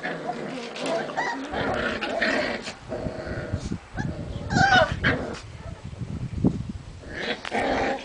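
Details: White Puli puppy at a Hungarian kennel, giving short whines and yips with a few low rough growls in between, loud and irregular, with scraping and handling noise underneath.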